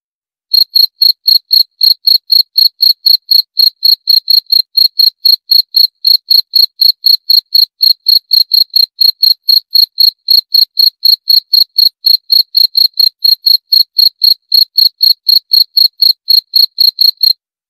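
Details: Cricket chirping in a long, steady series, about four high, pure chirps per second at an even pace, with no other sounds.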